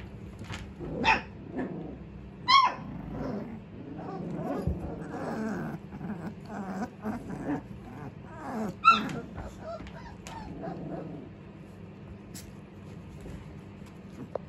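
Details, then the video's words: Staffordshire Bull Terrier puppies trying to bark: short, squeaky yelps and soft grunting woofs scattered irregularly, with a few sharper high yips near the start and middle, over a low steady background hum. "Staffy Pups Trying to BARK"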